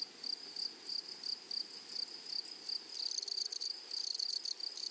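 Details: Sharp, high chirps from grasshoppers on a flowery prairie repeat several times a second, then crowd into denser, buzzier bursts in the second half as more pulses overlap.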